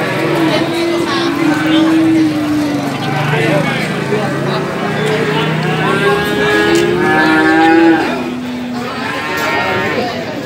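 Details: Male calves at the Gorang Gareng cattle market in Magetan, East Java, Indonesia, February 2019: a series of drawn-out moos, some gliding downward, rising over a busy background of crowd talk and engine noise.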